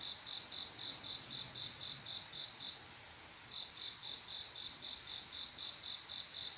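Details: Male cricket's mating call on a quiet summer night: regular high chirps about four a second, falling silent for nearly a second midway before resuming, with constant high insect hiss behind.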